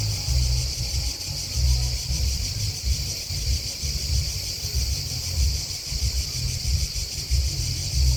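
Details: Outdoor cricket chorus: an unbroken, thin, high trill with slight rapid throbbing that holds an even level throughout, while a heavy low rumble swells and fades beneath it.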